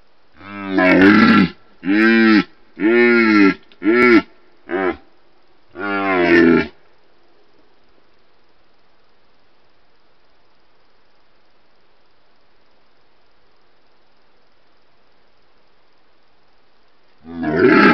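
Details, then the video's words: Red deer stag (Cervus elaphus) during the rut, the mating season, filmed by wildlife monitoring cameras in Retezat National Park, Romania: six deep, harmonic, groaning roars in close sequence, then a long silence and one final roar. "Cerb (Cervus elaphus) la boncănit"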